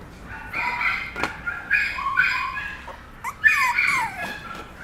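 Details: Papillon puppy named Bibi giving a series of high, harmonic whining yips in short bursts, some sliding downward in pitch, with brief quiet gaps between them and a faint click or tap near the start.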